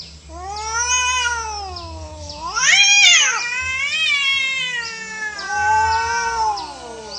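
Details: Feral cats fighting naturally, an orange cat among them and losing; long wavering harmonic yowls rise and fall, swelling to a loud strained peak near the middle before easing into slow drawn-out moans, with a low steady hum underneath.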